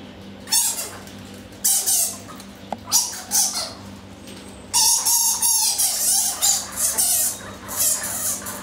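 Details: Captive Egyptian fruit bats at Paradise Wildlife Park, Broxbourne, Hertfordshire, in daylight, February 2012, noisy while boxing: harsh broadband screeches in bursts with a thin tonal squeal running under them, separated by short quiet gaps.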